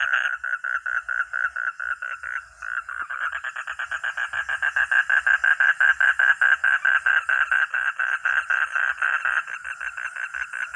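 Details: Frog calling in a long pulsed series: rasping croaks at first, a brief stumble, then a quicker, louder, evenly spaced rattle of pulses that carries on to the end.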